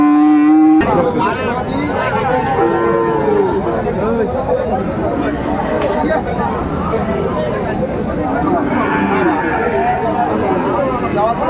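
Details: Sahiwal bull calf at a crowded cattle market in Kurigram on 22 April 2025: a short steady low moo opens, then constant chatter and bargaining voices fill the rest.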